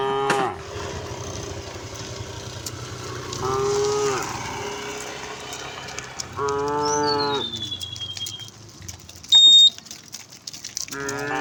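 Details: A calm group of resident cows wanders on a road, mooing four times: brief and long flat lowing calls spaced a few seconds apart. A single descending bird whistle and a short sharp electronic beep are heard between them.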